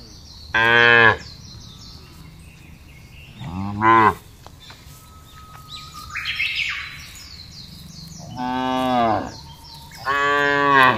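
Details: Herd cattle driven over a wide pasture in a calm rural setting. Four short-to-medium lowing moos come at irregular intervals, the last ones longer and wavering, with birds twittering in the gaps.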